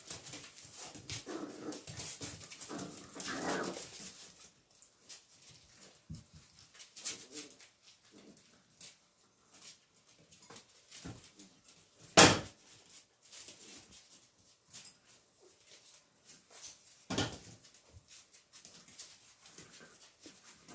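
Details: Magyar Vizsla puppies recorded on 7 March 2021, giving a run of high, wavering whimpers during the first four seconds. These are followed by quieter stretches broken by sharp clicks and knocks, with one loud thump midway.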